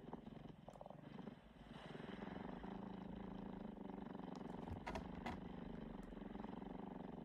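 A tabby cat purrs steadily, a low, rapid, rumbling vibration that holds at an even level.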